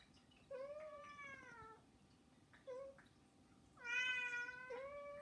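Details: Three household cats, Saba, Hana and Mizore, meowing to beg; a long drawn-out meow, a short one, then a loud, bright, strained cry that slides slightly down and up again, rich in harmonics.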